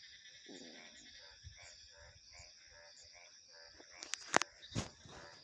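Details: Pulsed frog croaks repeating every half second or so amid a steady wash of high cricket and insect trilling, followed near the end by a few sharp, loud knocks.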